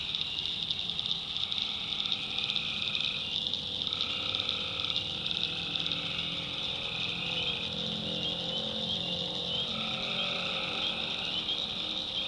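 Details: Night chorus of tree frogs in a North Carolina backwoods swamp: a continuous high, ringing wall of calls, with mid-pitched trills that start, stop and overlap every second or two. Faint low rumbling sits underneath.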